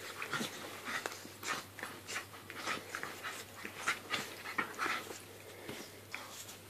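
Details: A Staffordshire Bull Terrier and a Jack Russell Terrier playing together, with short squeaky whines and huffing pants in quick, uneven bursts roughly every half second, plus scuffling and clicking sounds.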